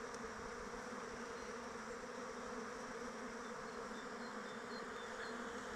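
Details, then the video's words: Many honey bees in flight around a hive during open weather, making a continuous low droning buzz that holds even throughout, with soft brief higher whines from individual bees passing near. "Bees flying around hive"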